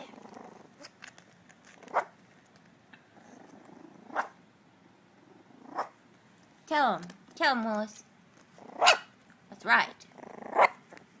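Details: Young dachshund puppies practising barking, giving two wavering, rising squeals back to back, then several short sharp yaps spaced about a second apart, while a woman speaks encouragingly in the background.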